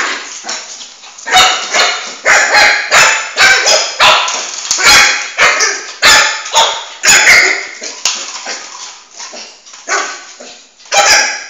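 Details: Flame, a four-month-old male Shih Tzu, barks in quick, uneven runs of high-pitched yaps while chasing his ball around the house, with clattering play noises between the calls.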